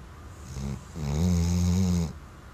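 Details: A Weimaraner snoring while asleep: a short low rumbling breath, then a longer, louder snore of about one second with strong low harmonic bands, steady and droning before it cuts off.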